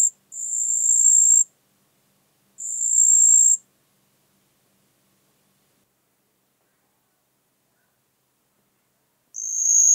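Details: Marsh cricket (Pteronemobius heydenii) singing at Puntigam, Austria, on 4 June 2022: high, thin, even trills about one second long, separated by gaps of one to six seconds, with no other sounds.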